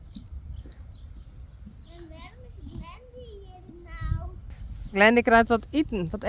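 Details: Friesian horse outside: soft voices and faint sliding sounds at first, then a loud, quavering neigh in several pulsing bursts near the end over low background noise.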